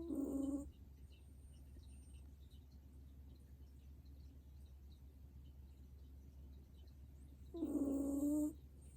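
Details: Elderly sleeping dog snoring, two whistling nasal tones about seven seconds apart, each steady in pitch and under a second long, with a soft low hum between breaths.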